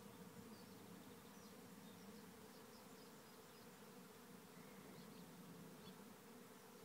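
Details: Thousands of swarming bees moving into a trap hive at Lisballyard near Rathcabbin, County Tipperary, Ireland; steady, even low drone fills the whole recording without pause, faint and continuous.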